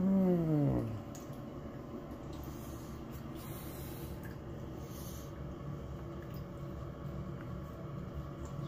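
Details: Indoor cat being fed wild red king salmon fillet and cat food: one loud, low, drawn-out meow that slides downward in pitch for under a second, then faint room noise and quiet eating sounds.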